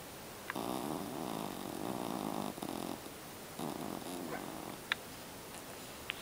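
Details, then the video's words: Miles, a Jack Russell Terrier puppy, snoring during a nap; long buzzy rattling snores lasting about two seconds each, with short pauses between, over steady room hiss and a few faint clicks. "A Snoring Puppy"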